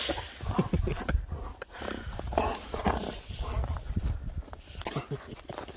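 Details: Dobermann named Jeff, out and about now the sun is returning, playing with his favourite toy: rough, low play noises and huffs in irregular bursts, with rustling and handling sounds mixed in.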